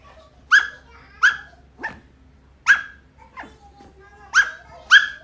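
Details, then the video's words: Shetland Sheepdog barking while digging: six sharp, loud barks at uneven intervals across five seconds, with softer, shorter yelps between them, in a quiet, close setting. "Sheltie Barking Digging"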